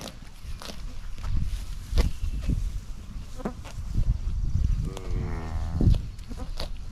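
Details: Highland cattle excited at being fed fresh grass, with a new calf among the herd. A short, higher-pitched wavering moo comes near the end, after soft thuds and rustling, with faint voices in the background.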